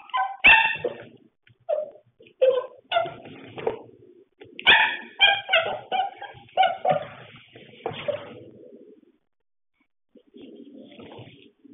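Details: Pembroke Welsh Corgi at play, giving a run of short yipping barks and whining vocalisations in bursts over about nine seconds, then quieter grumbling noises near the end.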